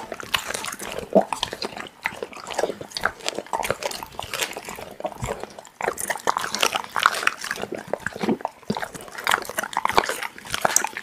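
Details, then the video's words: Pit bull eating raw meat: wet, crunchy chewing and tearing noises in a dense irregular stream, with short gaps near the two-, six- and nine-second marks. "Pitbull eating raw meat Asmr"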